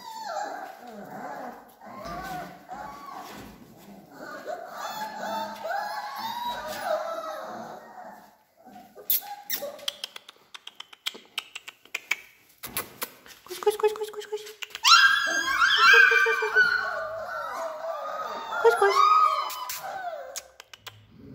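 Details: Three weeks old, a litter of Alaskan Malamute puppies whimpers softly among background voices and handling noise, then erupts into shrill, overlapping squeals and yelps in the second half.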